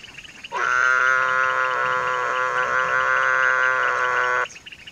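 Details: Breeding-season Mueller's termite frog at a pond where a pair is laying eggs, giving a single long nasal drone of about four seconds, even and harmonic-rich, starting and stopping abruptly over a quiet background.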